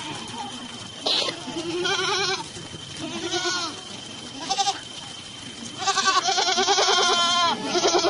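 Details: Sojat Sirohi goats, males and females offered for sale at Pune, bleat repeatedly: wavering, harmonic-rich cries in short bursts, several overlapping near the end, with faint human voices in the background.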